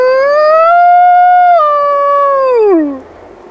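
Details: A black wolfdog named Rosco P Coltrane howls amid an urban blizzard, a sustained tonal note rising slightly, holding, then sliding down and fading out.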